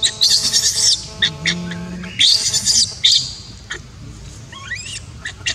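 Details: Baby monkey crying while its mother refuses to care for it: loud, shrill, squealing bursts in quick succession, a lower drawn-out note between them, then a run of short rising squeaks near the end.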